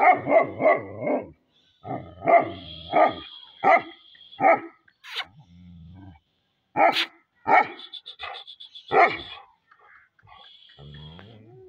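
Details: Pakistani Bully Kutta, a desi bully dog, barking hard in loud deep bursts, often several in quick succession and then pausing, with a faint steady high tone sounding behind some of the barks.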